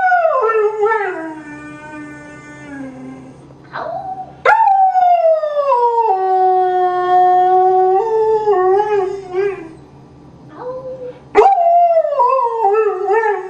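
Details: Foster greyhound rooing, a dog's singing howl: long falling tones with rich harmonics that slide down and level off, broken by short gaps and restarting sharply at about 4.5 and 11.5 seconds; no other sounds stand out.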